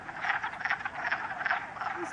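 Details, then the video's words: Many wood frogs calling together in a vernal pool at West Hill Park in Uxbridge, Massachusetts, sunny early spring with some snow left; continuous overlapping duck-like clucks and croaks forming a thick chorus. "Wood Frog Chorus ~ Lots of Wood Frogs"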